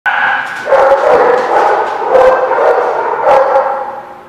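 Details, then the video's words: Dog recorded on 29 April 2016, giving a run of barks and drawn-out, tonal yelps that blend into a steady reverberant wash, with fresh outbursts at about one-second intervals. "The Barking Lot"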